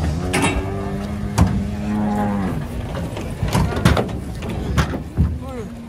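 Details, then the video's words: A cow being unloaded from a truck gives a deep, sustained moo for over two seconds, then starts another low call near the end, with clatter and talking around it. "KUMPULAN SAPI LUCU TURUN DARI TRUK"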